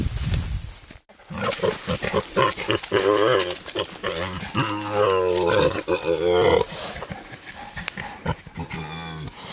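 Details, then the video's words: Wild boar, a male courting a female in the wild: loud, rapid harmonic grunts and squeals pulsing several times a second, some rising and wavering, with rustling and snapping throughout. "Wild Boars love story"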